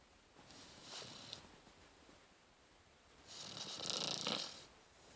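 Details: A Rottweiler puppy snores in soft, breathy, hissing rasps, one faint and one louder and longer.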